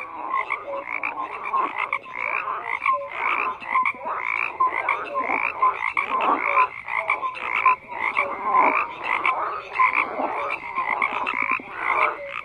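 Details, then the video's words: Frogs croaking in a dense chorus: overlapping raspy, rattling croaks with short tonal notes, pulsing steadily without pause. "FROGS CROAKING"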